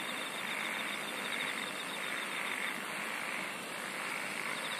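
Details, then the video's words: Dense insect chorus with a continuous buzzing drone and faint, evenly pulsed trilling running throughout, without pauses. "SINGING OF INSECTS"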